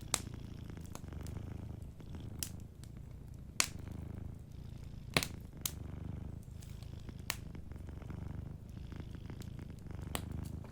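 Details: Gentle purring from a sleeping cat, a deep continuous rumble pulsing with its breathing, punctuated by frequent loud snaps and crackles of a nearby fireplace.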